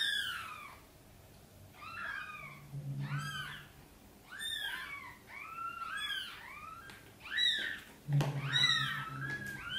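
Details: Domestic cat meows indoors, near mother cat Sonny and her tiny kittens being brought into the nest: repeated high, arching mews every second or two, some overlapping, with low humming notes underneath and a quiet room.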